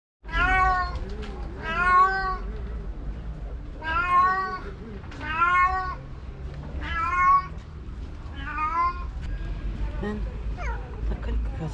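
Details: Black stray tomcat, upset at finding his female with a rival cat on a tree, gives a series of loud, wavering meows roughly every one to two seconds, each a rich harmonic wail, with low background rumble.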